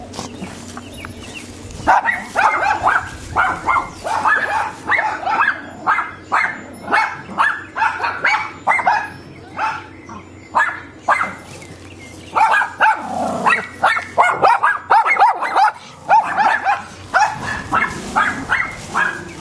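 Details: Neighbour's dogs barking in long, rapid volleys of sharp mid-pitched barks, with a brief lull partway through before the barking resumes just as densely.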